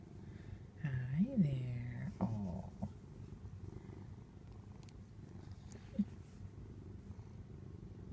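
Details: Domestic cat purring while being petted indoors: a steady low rumbling purr throughout, with a woman's voice speaking briefly near the start.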